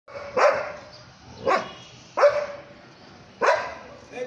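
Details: A dog watching people pass by barks at them with four sharp, loud barks, spaced about a second apart.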